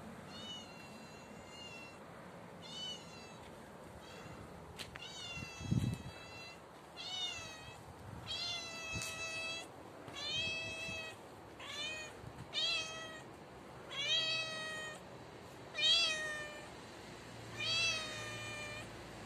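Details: Tabby cat, a street stray, meowing loudly on stairs: a rapid series of about ten bright, harmonic meows, some rising then falling, spaced one to two seconds apart, with a brief low thump midway.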